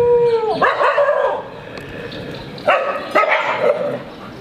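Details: Street dogs playing and quarreling together, giving harsh, harmonic-rich barks and growly yelps in two bursts, an opening cluster then a pair of sharp barks near the end, over a low background rumble.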